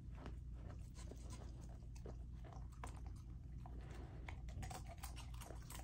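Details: Lilo, a raw-fed golden retriever puppy, gnawing and biting into chicken and sockeye salmon; continuous close crunching and slurping chews with frequent sharp cracks, over a strong low hum.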